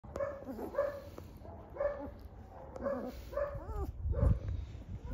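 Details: Three-week-old European German Shepherd puppies at a kennel whine in repeated nasal, harmonic cries roughly every half second, some wavering and bending in pitch, over a low rumbling background.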